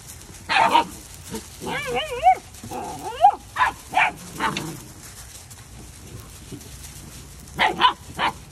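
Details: Labradoodle puppies making wavering, warbling whimpers that rise and fall, mixed with sharp high yips, then a pause before a final pair of quick yaps.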